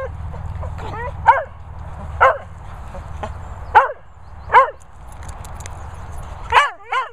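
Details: Vizsla, Cocker, Romanian dog and Lurcher mooching at kennels in the Worcestershire countryside; six spaced yapping barks, roughly one each second, some with a higher yip-like edge, with a steady low rumble underneath.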